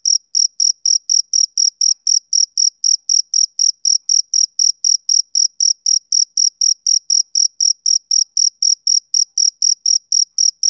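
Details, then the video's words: Steady rhythmic chirping of a male cricket on a summer evening, bright high-pitched pulses at roughly four per second, very regular and uninterrupted, against complete quiet. "Cricket Chirping Sound Effect"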